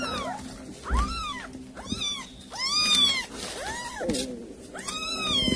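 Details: A cat calls its kittens after catching a mouse to feed them. Arched meows repeat roughly once a second, six in a row, some longer and rising-falling, with a low background hum.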